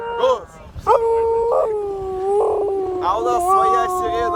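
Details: Siberian Husky in a car howling along with a siren: a sharp upward swoop into a long, level, sustained tone, then a slightly higher wavering wail, all over a steady harmonic drone.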